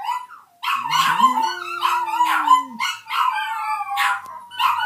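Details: Little puppy howling: a continuous string of wobbling, high, nasal yowls rising and falling in pitch, with a softer, steady lower tone gliding underneath during the first half.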